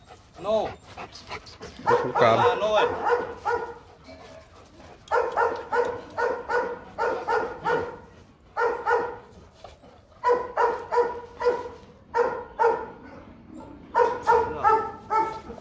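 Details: Rottweiler father Bruno, a Latvian young champion, meets his seven-month-old son Igor: after brief human speech, a long run of steady, evenly spaced deep barks repeats roughly twice a second, with short pauses between bursts.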